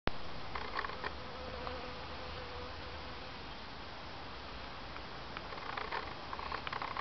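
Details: Honey bees gathering at an improvised water reservoir to drink, a low continuous hum of many wings with brief higher buzzes as individual bees fly close, and faint clicks near the end.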